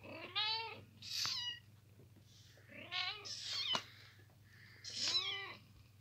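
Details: Kittens lying in a boot give about four thin, high-pitched meows over six seconds. The cries are clear and harmonic and arch up then down, with short silent gaps between them and a steady low hum underneath.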